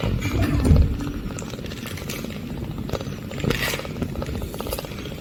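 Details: Eight-day-old baby kitten purring for the first time, a low, continuous rumbling throb with dense rhythmic pulsing and a slightly louder swell near the start, with faint higher rustles and scratches over the top.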